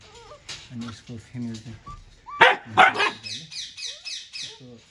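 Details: Siberian Husky kept in Nepal, giving short rising whines and then two sharp, loud barks close together, with a person talking throughout.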